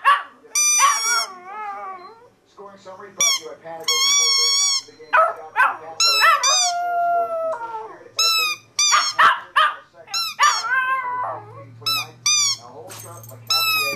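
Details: Pet Chihuahua howling at a particular squeaky toy, a habit it recently learned. Wavering, whiny howls rise and fall between bursts of sharp, high-pitched toy squeaks. A low steady hum can be heard near the end.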